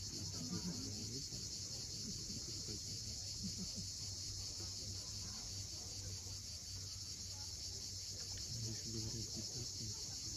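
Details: Cicadas calling at sunset above the sea at Cape Fiolent, Crimea, a constant piercing buzz holding steady throughout, with a low rumble of waves and scattered faint chirps.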